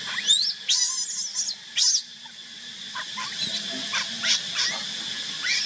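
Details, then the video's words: Infant monkey left by its mother, crying: a burst of harsh, quavering high shrieks early on, then softer, thinner squeaks scattered through the rest, with a low droning background. "Pity, cute baby monkey crying. why did Mommy Monkey keep baby crying alone"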